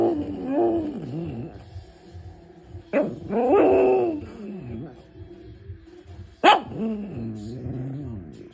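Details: A pug barks at a TV advert with a cartoon dog: whiny, yodelling grumbles broken by a sudden sharp bark.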